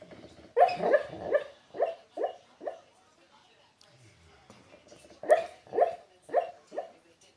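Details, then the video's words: Dreaming dog Ozzie hiccuping in his sleep: quick series of clipped, voiced bursts, roughly five in a row, a short pause, then four more in steady succession. "Dog hiccups and snores in his sleep"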